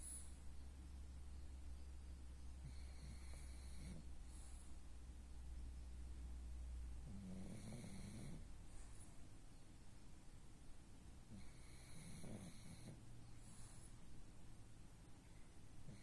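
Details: Snoring of a pug called the pug king: raspy, whistling breaths return about every four seconds, with a low droning hum through the first half and quiet pauses between snores.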